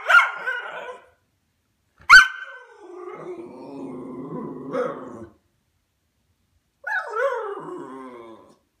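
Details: Indoors on a sofa top, a white Miniature Schnauzer reacts to neighbours coming home with sharp barks followed by a drawn-out, grumbling growl-talk, then a falling, whiny yowl after a brief pause.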